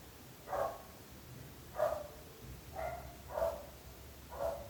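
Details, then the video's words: A dog barks again and again, disturbing the neighbours: five clear, separate barks spaced about a second apart, each short and mid-pitched, with faint low rumble beneath. "26 minuts gossos lladrant / 26 minutes barking dogs."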